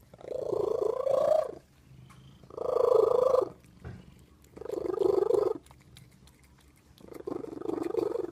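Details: Domestic cat making a harsh, drawn-out wailing cry, repeated four times, each moaning yowl lasting over a second with short quiet gaps between, in a quiet indoor setting.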